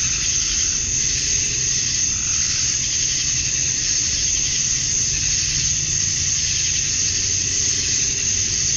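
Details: Georgia summer night at dusk, male cicadas chirping to attract females; their massed song makes a constant bright, sizzling wall of sound with a fixed high whine, slight rhythmic surges, and a quiet low rumble beneath.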